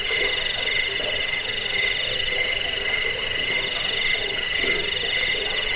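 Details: Cricket chirping, offered for driving off rats, as a sleep aid and as a tutor for songbirds; steady high pulsed trilling in several stacked bands, the top band throbbing rapidly, with faint lower croaking blips underneath.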